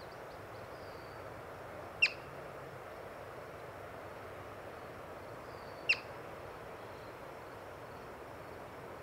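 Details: Yellow-bellied marmot, spotted while birding, sounding two short, shrill chirps nearly four seconds apart; faint thin bird notes appear before each chirp over constant background hiss.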